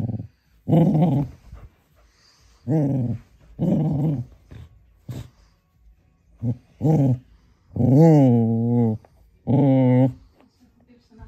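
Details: Male cocker spaniel puppy upset with his Baby Yoda toy, giving repeated short growling bursts roughly every second, ending in longer wavering growl-whines.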